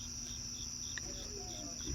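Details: Crickets chirping outdoors on a cloudy night: rapid regular pulsed chirps over a constant high trill, with one sharp click midway and faint low rustles near the end.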